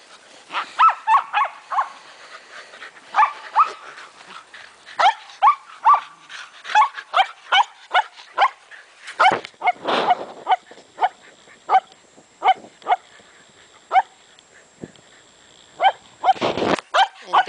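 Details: Shetland Sheepdogs at play chasing a ball, with a heavily pregnant female named Maggie among them; rapid series of sharp yapping barks, about two per second, with a louder burst near the end and brief human calls.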